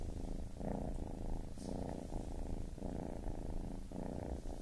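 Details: Baby kitten's purr, a throaty low buzz that comes in distinct breathing phases under a second long, separated by short quiet gaps.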